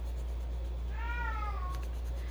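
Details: A female house cat howls while carrying a toy around as though it were her baby. A single drawn-out, tonal wail bends gently downward near its end over a constant low hum in a quiet room.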